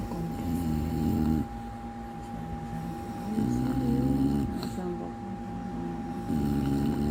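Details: An English bulldog snores in deep, rumbling, human-like breaths that swell and fade in long, drawn-out snorts.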